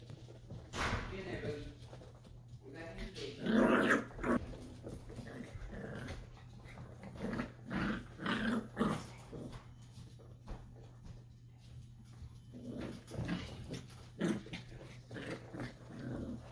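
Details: Dachshund puppies wrestling indoors in a small room, giving short bursts of low growls and grumbles in irregular clusters, with a steady low hum and a person's voice near the end.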